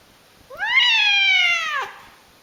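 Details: A single long cry from a screaming house cat, rising sharply at the start and then holding a strained, slowly falling tone for over a second before cutting off abruptly.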